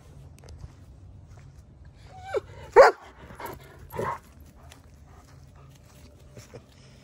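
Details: Odin, a German Shepherd, barks while attacking a log outdoors on a mild day of about 50 to 55 degrees: a few sharp, separate barks spaced about a second apart, with quiet background hum between them.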